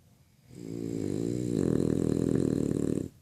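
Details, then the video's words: Freddy the French Bulldog snoring while asleep: a quieter buzzing breath swelling into a loud, coarse rattling snore for about two and a half seconds before stopping sharply. "Freddy roncando."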